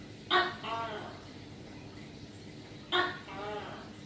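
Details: Two calls from a tokay gecko, seen close up while hunting. Each is a sharp bark followed by a lower, nasal, drawn-out syllable, repeated about two and a half seconds apart against faint background hiss.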